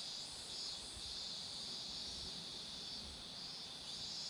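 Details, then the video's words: Cicadas singing beside a road where marigolds are in full bloom: a steady, high, hissing drone that holds unbroken throughout, with faint low rumbles underneath. "매미소리도 들어 보세요"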